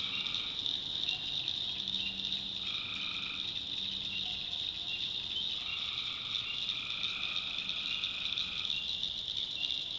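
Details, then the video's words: Tree frogs calling at night in a swamp in the backwoods of North Carolina: drawn-out, even, two-toned trills lasting one to three seconds, five or so in ten seconds, sometimes overlapping, over a steady shrill high chorus. "Relaxing Swamp Sounds at Night - Frog Heaven - Frogs"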